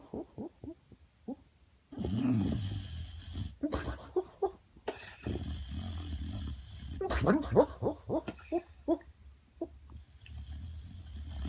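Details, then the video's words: A 10-year-old rescued boxer dog, asleep on a couch and dreaming, gives soft, muffled woofs and huffing sounds. They come in irregular short bursts with breathy pauses and low snoring-like rumbles between them, in a quiet indoor room. "Tyson Dreaming"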